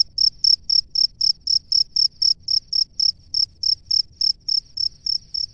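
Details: Cricket, a male in its nest calling the female, gives a steady run of bright, high chirps roughly four per second, evenly spaced and sustained throughout, over a quiet background.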